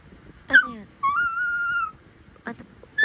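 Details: Pomapoo puppy named Ember, a talkative pet dog, making chatty vocal sounds: a short falling yelp, then a long steady high whine near one pitch lasting almost a second, followed by brief squeaky yips; quiet room background.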